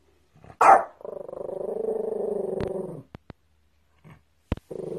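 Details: Dog giving one sharp bark followed by a long, steady, low pulsed growl lasting about two seconds, then a few brief clicks and another growl starting at the end.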